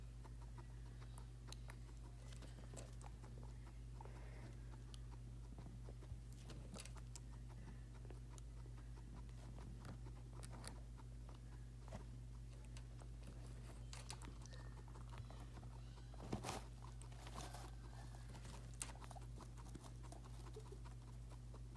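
A guinea pig drinking water, with soft irregular ticks and clicks over a steady low hum.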